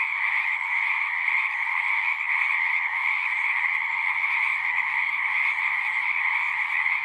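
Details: A pond in a horse pasture full of singing frogs, Zoom 6 recording: many callers trill together in a constant, bright, high-pitched drone without breaks.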